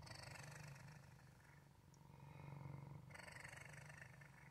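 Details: Low, even rumble of a male house cat named Waffle purring, faintly rough and buzzing, with one brighter surge toward the end as a breath cycle turns over.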